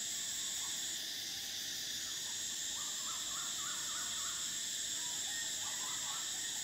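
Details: Summer cicada chorus forms an unbroken piercing high buzz, with brief faint warbling chirps rising and falling in the middle range from about three seconds on.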